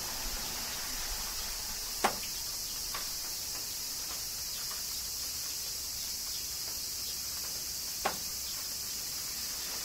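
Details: Kyoto cicadas in summer rain hum in a flat, constant high drone, broken by two distinct louder raindrop splats several seconds apart.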